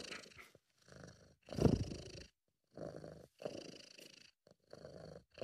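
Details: Relaxed, happy British Shorthair cat named Sabu purring close up; short rumbling bursts broken by silent pauses, one stronger, rougher burst near two seconds.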